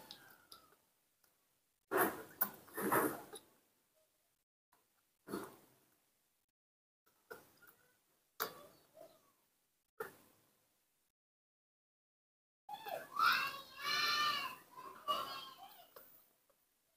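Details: Newborn baby monkey, raised by hand at home, asking for milk: scattered soft rustles and short squeaks, then a sustained wavering, harmonic cry lasting about three seconds near the end, in a small indoor room.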